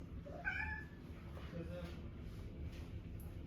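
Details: Tuxedo cat wanting to be petted, giving a single short rising meow near the start over a steady low rumble of purring; the rest is quiet indoor murmur.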